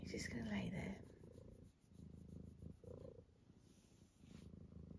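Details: Domestic cat named Eric, sleepy and lying down indoors, purring in steady low rumbling pulses, broken by a woman's voice urging him to get up.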